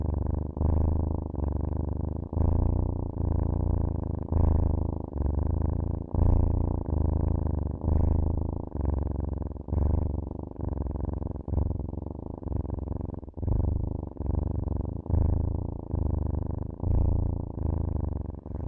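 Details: Cat purring softly and steadily, a low throaty vibration broken into short breath cycles, slightly quieter, with nothing else audible.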